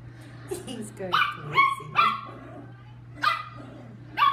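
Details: Chihuahua named Lucky barking during playtime indoors: sharp high yips with bright overtones, uneven bursts of two or three, some short barks close together, a steady low hum underneath and a human voice faintly mixed in.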